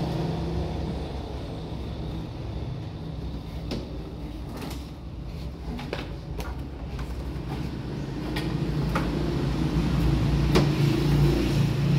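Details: Low, steady engine rumble from a vehicle, mixed with creaks, door-like knocks and metallic rattles, with no animal sounds.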